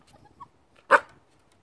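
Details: Corgi puppy named Hiro, indoors, letting out a single short sharp bark after faint rustling, the room otherwise quiet.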